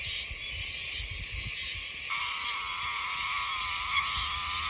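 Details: Oshima cicada singing in Yomitan village, Okinawa, an autumn species heard from late June to December and most numerous around October: a steady, loud, harsh buzzing with faint rapid pulsing throughout.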